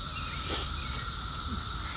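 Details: Brood XIII periodical cicadas, which emerge only every 17 years, massed in trees and grass in 2024, producing a steady, unbroken droning chorus: a level mid-pitched hum beneath a dense high hiss, with no pauses.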